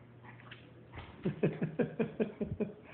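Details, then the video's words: Poptart, a 17-year-old rescue Yorkshire Terrier, playing: a quick run of short, low, growly yips, about five per second, after a second of quiet indoor hum. "Poptart 17 year old Yorkie play fest"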